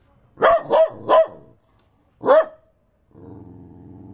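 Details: Chucky, a male Daito dog born 4 July 2008, a native dog of Minamidaito Island in Okinawa's Daito Islands, at Okinawa Zoo & Museum in December: three quick sharp barks, a pause, one more bark, then a low droning rumble.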